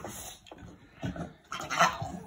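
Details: A female blue Staffordshire Bull Terrier, excited about going to pick up her owner, gives warbling, yodel-like whines in short bursts, sounding oddly like a turkey.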